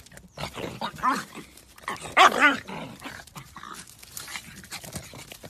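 A pug voices its hunger with a string of whining, grumbling moans that rise and fall in pitch. The loudest, most insistent cry comes in the middle, followed by softer murmurs.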